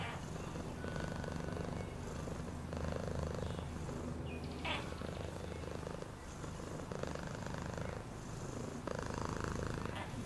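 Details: Continuous low-pitched cat purr, fast and rhythmic, with a few soft rustling and tapping noises midway through.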